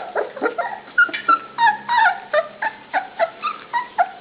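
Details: Puppies waiting for dinner yelp and whine almost continuously, brisk high-pitched yips tumbling over one another about three per second, some notes sliding down, others steady and piercing.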